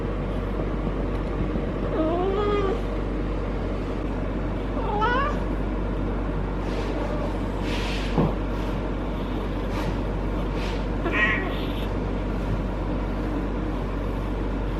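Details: Harley, a female feral cat in her first heat cycle, rolls while petted on her lower back and tail base, caterwauling for hours. Three drawn-out wavering yowls come near 2, 5 and 11 seconds over a steady low hum.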